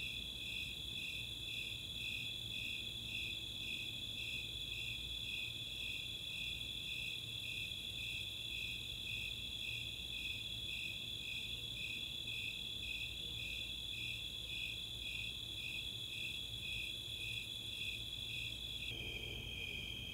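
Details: Snowy Tree Crickets and Four-spotted Tree Crickets singing together on a summer night at Chautauqua open space, Boulder, Colorado; rhythmic high chirps about twice per second layered over a constant ringing trill, the trill shifting pitch slightly near the end.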